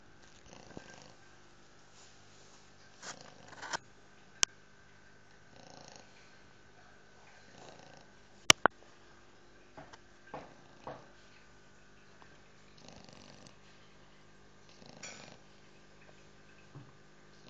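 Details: A 2-month-old English Bulldog puppy snores softly in breathy, rasping bursts every few seconds.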